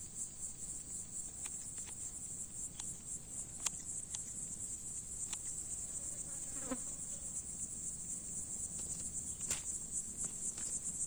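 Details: Summer cicada on a plant leaf in a farm field, singing in the heat; a continuous piercing high buzz pulsing about four times a second, with scattered clicks and low rustling beneath.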